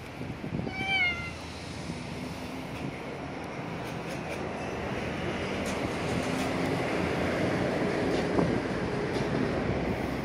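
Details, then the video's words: Domestic cat greeting someone, its cry described as a little unusual: one short rising-falling meow with clear overtones near the start, then a steady low rumbling background noise. "앵앵~ 반겨주는 고양이"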